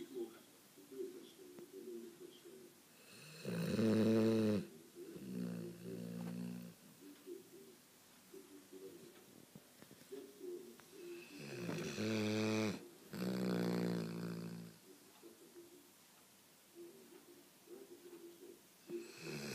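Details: Sleeping Cane Corso, Sonya, snores in drawn-out, rumbling bursts of one to two seconds, spaced irregularly, with quiet breathing between them.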